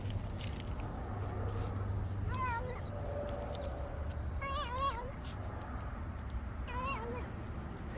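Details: Domestic cat making its 'angnyangnyam' sounds while eating: three short bursts of wavering, warbling harmonic mews at roughly two-second intervals, heard over a steady low rumble and faint clicking chewing noises.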